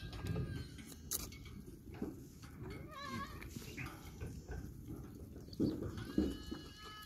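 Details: Baby goats playing, with short wavering bleats scattered through a busy farmyard din of low rumbling noise, clatter and faint voices.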